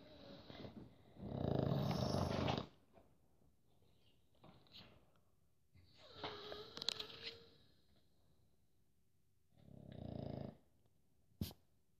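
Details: Sleeping pug's snores: one long, low, rasping snore early on, a fainter one near the end, with scattered small snuffles and a sharp click between them.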